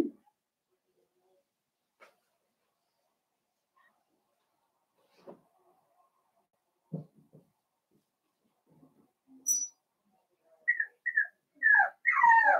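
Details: Blenheim Cavalier King Charles Spaniel puppies, a litter of five born on New Year's, playing with their mother in an indoor puppy pen; quiet thumps and shuffles, then a burst of high, wavering whines and squeals near the end.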